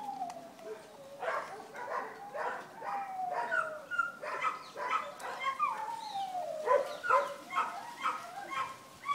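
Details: Litter of Vizsla puppies at Wey Farm Kennels giving long, thin descending whines mixed with sharp little yips, several voices overlapping in an uneven, rapid patter.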